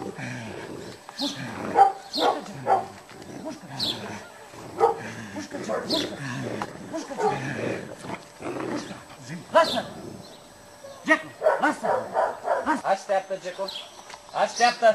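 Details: Cane Corso in aggression training with a stick at a working-dog school in Piatra Neamt, barking hard in loud bursts, some in quick runs, with human voices between.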